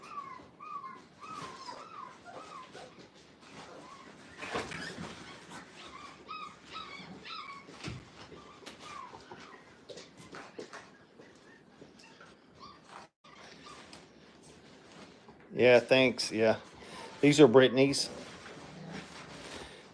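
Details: Five-week-old Brittany puppies in their playpen for the first time. Thin, squeaky whines rise and fall through the first half, then two loud bursts of high yelping and whimpering break out near the end over a quiet room.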